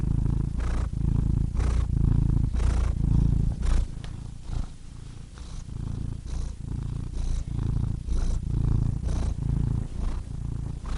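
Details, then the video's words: Cat purring steadily, a deep low rumble that swells and fades in regular breathing cycles about once a second, with soft breathy bursts at each inhale; no other sounds. "Cats Purring"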